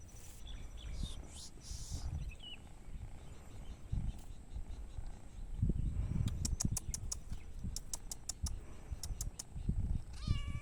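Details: Domestic cats and kittens playing outdoors, four animals in all: a brief harmonic meow near the end follows a series of sharp clicks, low thumps and rustling handling noise.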